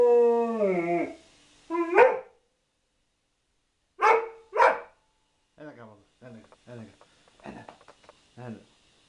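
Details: Dog ends a falling howl, then gives a pair of loud barks followed by a series of softer, shorter yelps.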